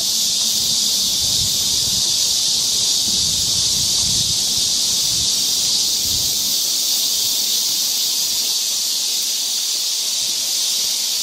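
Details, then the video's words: Loud cicada chorus in a Seoul forest during Korean summer, an intense, even, high-pitched buzzing wall of sound; soft low rumbling thuds occur in the first half, then only the buzz remains. "cicada sound"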